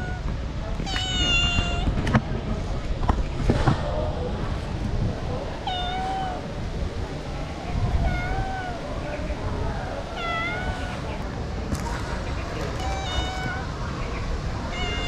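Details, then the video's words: Hungry female street cat crying for food, which cannot eat dry food; a series of about six to seven plaintive meows, some falling and some rising-then-falling, spaced a second or two apart, with low street noise and knocks behind. "The female cat crying asking me for food"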